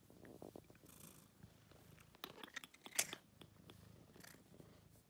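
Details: A scarf-wearing house cat purrs softly and evenly in a small room, the low rumble carrying under a cluster of clicks and one sharp high burst midway, with a person murmuring at the close.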